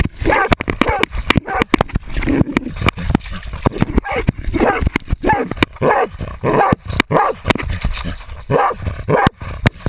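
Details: Jagdterrier named Otto baying a 250 lb boar, filmed with a GoPro camera; barks come in quick bursts mixed with sharp clicking and rustling knocks, the barks' rhythm irregular amid the scuffle.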